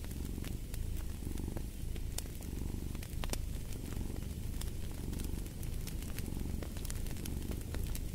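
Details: Domestic cat purring steadily, a deep throbbing rumble pulsing in regular inhale-exhale cycles about every second and a half, set against the scattered crackles and pops of a wood fire.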